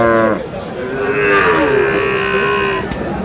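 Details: Sahiwal cattle at a cattle market in Bogura, Bangladesh: a long, steady, drawn-out moo lasting about a second and a half, following a brief spoken word, with market chatter and crowd bustle underneath.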